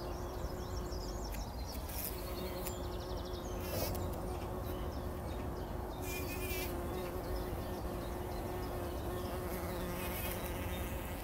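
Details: Pre-dawn bumblebees wallowing in poppy flowers for a pollen bath, 2019; a continuous deep hum runs the whole way, slightly wavering in pitch, while birds chirp and trill repeatedly in the background.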